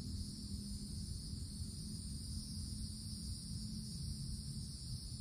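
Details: Summertime cicadas in a wooded forest, calling as a continuous shrill hum in two high bands without pause, with a steady low-pitched background rumble underneath.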